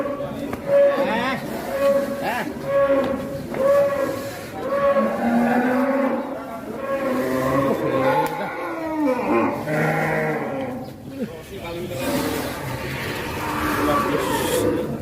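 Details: Fat cattle lowing, several overlapping drawn-out harmonic moos, some level and some bending downward, with calls every two seconds or so; faint music and people's voices in the background.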